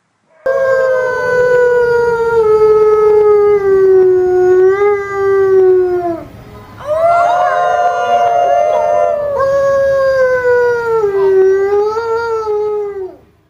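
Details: Wolves howling: one long sustained howl descending slowly over about six seconds, then a brief overlapping chorus of several voices, followed by another long level howl that drops and fades at the end.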